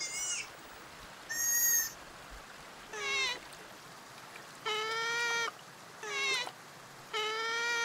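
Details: Sea otter uttering repeated squealing calls: shorter slurred notes alternate with longer steady harmonic squeals, roughly one every second, plus a couple of thin high-pitched cries early on.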